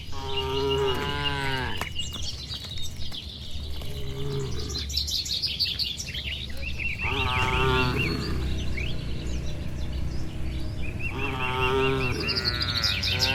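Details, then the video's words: Homeward-bound cattle, dozens strong, move slowly down a leafy village road toward their shed in the evening, lowing back and forth. Four deep moos of varying length come every few seconds over steady bird chatter. "Suara Sapi Moo"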